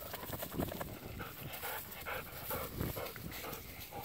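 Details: Golden Retriever panting outdoors in a freshly harvested rice field beside a smouldering heap of burnt rice husks and chopped straw, where the dogs Kohaku and Ibuki run about; quick breathy huffs repeat in a steady rhythm over soft rustling.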